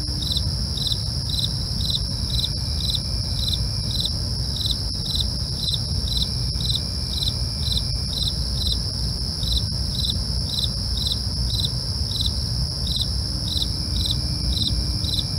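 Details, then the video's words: Crickets calling after dark, evenly spaced chirps about two per second layered on a constant high-pitched trill, a few faint clicks, and low rumbling noise. "night crickets asmr for you, can't sleep? try to relax with our real sound"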